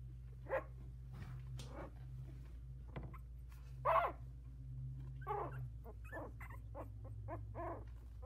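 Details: Four 16-day-old Havanese puppies in a whelping box, some with eyes barely open, trying out new legs. Brief scattered high squeaks and yelps, a louder one near four seconds, over a steady low hum.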